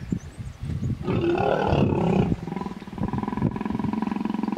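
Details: Hippopotamus in a small pod in the Vurhami River, Kruger National Park, South Africa, during a stand-off as a female defends her young against an approaching male; a loud deep roaring bellow followed by rapid pulsing grunts.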